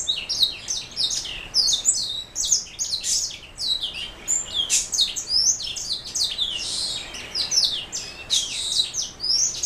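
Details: A black throat mule, a canary hybrid, pours out an unbroken high-pitched song of crowded chirps, trills and swooping whistled notes, loud and lively throughout.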